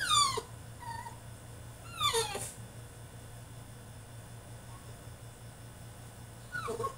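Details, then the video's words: Caged French Bulldog in a tantrum, giving sharp descending whines and yelps at the start, near two seconds and again near the end, separated by quiet with a constant low hum underneath. "FRENCH BULLDOG THROWS TANTRUM IN HIS CAGE!!"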